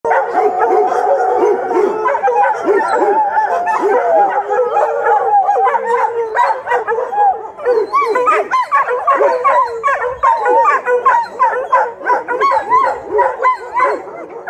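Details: Dogs at an animal shelter howling together after one began and the others joined in, a dense chorus of wavering overlapping howls with barks and yips mixed throughout.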